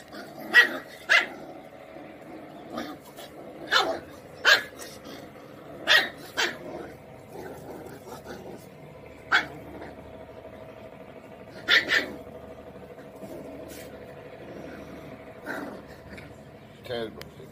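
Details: A Kombai puppy, an Indian breed, barks angrily in sharp, high, irregular bursts, some doubled.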